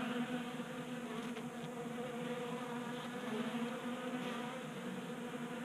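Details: Honey bees feeding at a 3D printed tabletop feeder in a garage in Colorado during a warm January spell; a steady dense buzzing hum of many wings with a low droning tone throughout, no other clear sounds.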